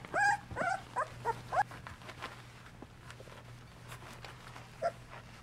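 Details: Golden Retriever pups at two weeks of age, tended and nursed by their mother Mercedes in the whelping box; a short burst of high, bending puppy whines opens the clip, then near quiet with one last brief whimper over a faint low hum.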